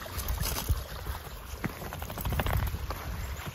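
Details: Steady low rumbling wind and handling noise outdoors with scattered soft clicks and thumps, and no animal voice heard.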